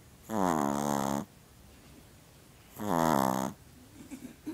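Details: Sleeping Pomeranian dog snoring: two long, rough, buzzy breaths about a second each, spaced roughly two and a half seconds apart, with faint rustling at the end.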